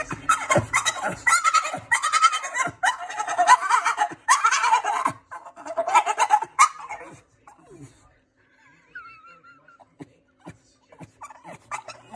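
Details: Staffordshire bull terrier named Ripley, a female stressed by the next-door cat, gives loud wavering goat-like cries in rapid bursts for about seven seconds, then fainter thin calls and soft clicks.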